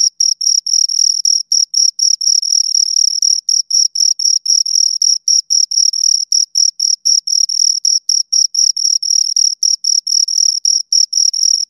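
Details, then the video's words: Crickets, two of them, chirping steadily and loudly nearby; high-pitched pulsing scrapes come about four times each second, sometimes blurring into short runs, with no other noise present. "Two Crickets Chirp Sounds"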